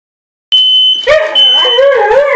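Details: A Siberian Husky and a German Shepherd howl in wavering, rising and falling tones, set off by the steady high beep of a smoke alarm triggered by cooking.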